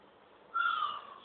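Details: Pet cat at home giving one short tonal meow, lasting under a second, starting abruptly, holding steady and then dropping slightly in pitch as it fades, against a faint background hiss.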